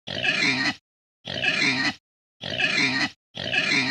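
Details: Pig grunting in four harsh, noisy bursts of equal length, each under a second, separated by clean silences in an identical repeating pattern.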